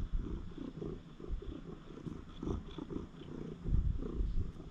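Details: Stray cat at a shrine inspecting a lone man's belongings, purring in a low, continuous rumble of rhythmic pulses that swell and fade in loudness, with faint rustling above.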